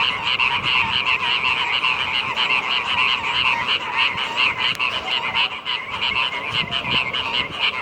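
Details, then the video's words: With the rains arrived, a mass of frogs croaks nonstop, pulsing rattles stacked in two pitch bands that swell and dip slightly in loudness, and one brief sharp click partway through. "Kodok ngorek, musim hujan telah tiba"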